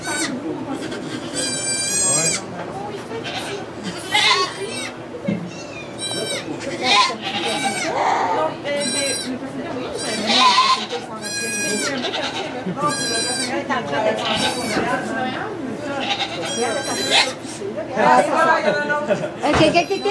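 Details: Goat giving birth to two kids in a sugar shack, Chalet du Ruisseau, St-Benoît, Quebec, Canada, filmed on an iPod Touch 4G; short harmonic bleats repeat every second or two beneath steady French conversation among people nearby.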